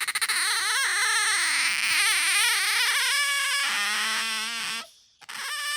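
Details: Loud, high-pitched squealing from pet otter Bingo, known for piercing squeaks right beside the ear; the voice warbles up and down in waves, then settles into a steadier tone before a brief break and a resumed squeak.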